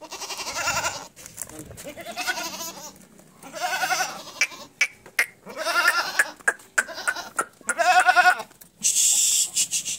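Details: Barbari goats in Etawah, Uttar Pradesh, bleating repeatedly: several wobbling, tremulous cries of a second or so each, with short gaps between, plus a higher shrill call near the end and some human speech in the background.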